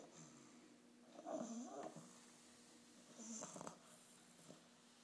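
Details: An 8.5-week-old English bulldog puppy snoring at its first vet visit: two slow, rasping breaths with a soft whistling edge, about three seconds apart, over a steady faint hum.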